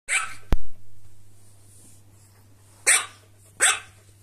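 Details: Corgi and silky terrier fighting over toys indoors; three sharp, high barks come in bursts near the start and then twice later, separated by a low steady hum and a single loud click.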